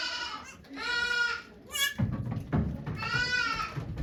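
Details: Bleats from the goat Okayu in labour with twins at Yoshigake goat farm, 3 May 2023: two shortish quavering cries about two seconds apart, a brief squeak between, with low rustling and handling noise.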